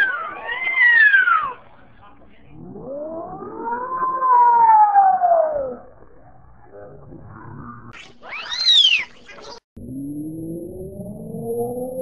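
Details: Domestic cat, unable to meow and frightened of dogs, makes a run of odd wailing cries: a falling whine, a long arching lower moan, a sudden high squeal, then a low, slowly rising groan.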